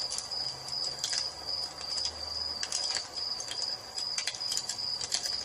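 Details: High, even cricket trilling in an evening nature setting by a fireplace, continuous throughout, with bursts of crackling fire and a faint low tone in the middle.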